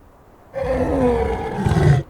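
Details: A lion in the African savanna gives a deep, rumbling roar that swells and then fades after about a second and a half.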